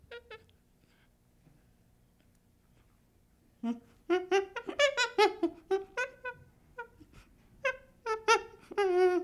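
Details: Baby chimpanzee, quiet at first, then a quick series of short, squeaky whimpering calls coming irregularly, with a drawn-out higher cry at the end.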